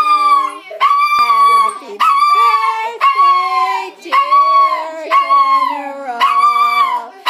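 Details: Seven-year-old male toy poodle, a pet, howling along to Happy Birthday: a series of wavering, rising-then-falling tonal howls of about a second each, with a person singing alongside.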